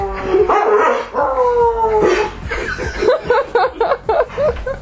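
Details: Spock the dog joins a person's wolf-like howling: drawn-out wavering howls that give way to a run of short yipping, barking notes repeated about four times a second.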